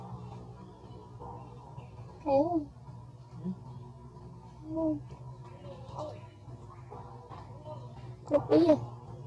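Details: A newborn baby monkey, hit and bitten by an adult female, gives wavering, quavering cries calling for its mother over a steady low hum.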